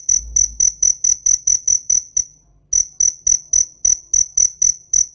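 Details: Cricket chirping in a steady run of short, shrill pulses, about four per second, with a brief pause partway through before the rapid chirps resume.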